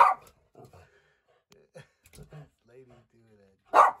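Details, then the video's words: Pet dog indoors in a small room, barking at the household cat, recorded 29 April 2020: one loud sharp bark opens, faint low voices and small sounds follow, then a second sharp bark near the end. "Tobey Barks at Lady the Cat"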